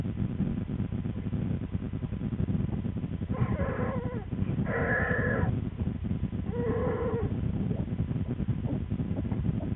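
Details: An American black bear cub in the den with its twin and mother Lily, February 13, 2013, cries out. Three strained, harmonic wails of about a second each come in quick succession over constant low-pitched droning noise.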